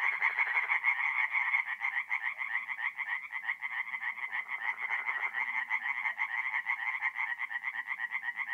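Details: Tree frogs in chorus at night by a forest pond, north-east Italy, mid-April: loud, rapid rasping croaks from several frogs overlap in a steady, throbbing rhythm throughout.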